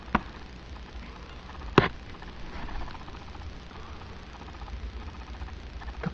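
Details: Quiet room tone broken by a few sharp knocks and bumps, like wood being struck, without any animal voice.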